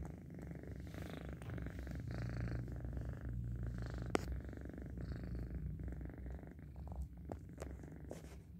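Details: Dozing cat producing a continuous deep purr, rhythmic low vibration slightly uneven in tempo, fading a little after the midpoint; a single sharp tap around four seconds and light rustling.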